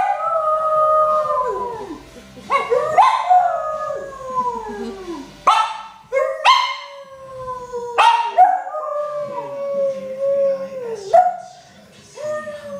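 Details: A male Lhasa Apso "sings", howling in drawn-out, wavering notes that slide downward, with sharp yips between them.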